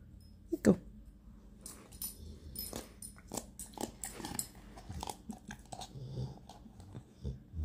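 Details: Happy dog snorting indoors: short, breathy snuffles and snorts scattered through the clip, one louder burst near the start, with quieter huffs and sniffs following in an irregular rhythm.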